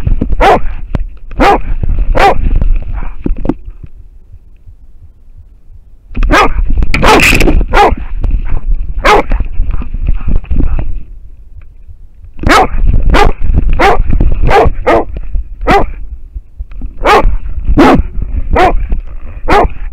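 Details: Barking of an American Foxhound at a wild boar, filmed by a camera on the dog: bursts of sharp, rapid barks with pauses between volleys, a quieter gap midway, and constant low-frequency rustle and handling noise.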